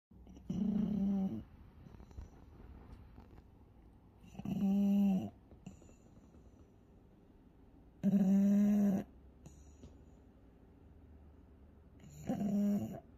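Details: A sleeping pug, tagged with pug encephalitis, snores in loud, raspy bursts roughly every four seconds.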